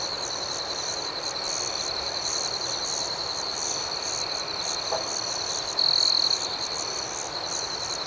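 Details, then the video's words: A nighttime cricket chorus: an even, high, ringing trill with overlapping pulsed chirps repeating several times a second, a single louder trill near the end, and a faint click midway. "Soothing Cricket Sounds"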